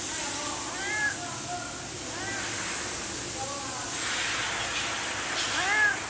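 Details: Cat meowing for food because it is hungry: a run of short, arching, bent-pitch meows, several in quick succession, then a louder one near the end, against constant hissing background noise.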